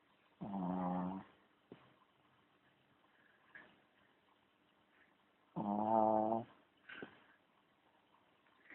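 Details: Sleeping pet dog snoring: two long, droning, buzzy snores, each under a second, about five seconds apart, with soft breathy snuffles and faint clicks between them in a quiet room.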